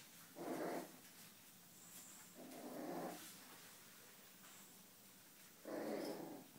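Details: Black miniature schnauzer giving three short, rough, muffled barks about two to three seconds apart, each a brief broadband burst, with quiet background between them.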